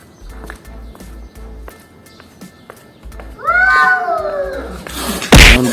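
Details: A domestic cat from a household with kittens and their offspring gives one clear, drawn-out meow with a downward-bending tone, after soft ticking sounds; background music plays and a sharp bang follows at the end.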